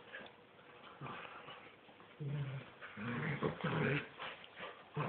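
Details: Two miniature wirehaired dachshunds, a mother and her son, playing tug of war indoors; low rumbling growls come in bursts, louder and more continuous in the second half, with faint human voices.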